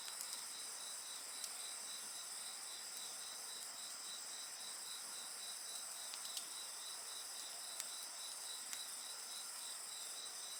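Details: Insects keep up a constant high trilling chorus of pulsed chirps and sustained ringing tones, while a bonfire adds scattered sharp crackles and snaps throughout.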